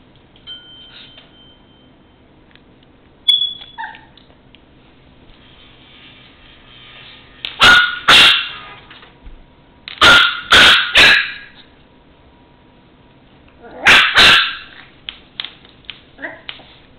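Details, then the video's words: Mimi, a female Chihuahua puppy of four months, barks while playing indoors with a toy truck left on the floor: sharp, high yappy barks in short clusters with quiet gaps between, a lone bark ending the run. "My Chihuahua puppy acting silly and barking."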